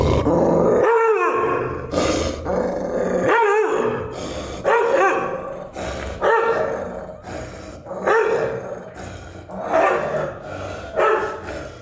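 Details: An aggressive American Pit Bull Terrier giving harsh, mid-pitched growling barks in uneven bursts roughly every two seconds, each rough and strained, with short gaps of quiet between.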